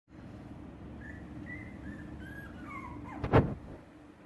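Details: Shiba Inu puppies whimpering: a string of thin, high whines that slide downward, the last ones dropping steeply, followed by a sharp thunk against a low, steady background hum.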